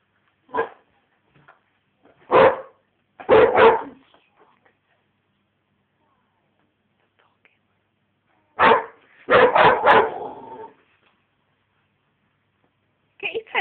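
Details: American Bulldog puppy Kassy, five and a half months old, barks at her teddy bear at home; single barks and a quick triple, a long silence, then another rapid run of four loud barks.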